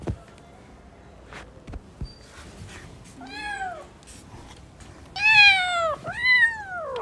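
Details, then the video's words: Newborn kittens at play make faint clicks and rustles, then three loud, bright meows near the end, the last two long and sweeping downward. "New born kittens are playing 😂🤣 | cute cats meowing"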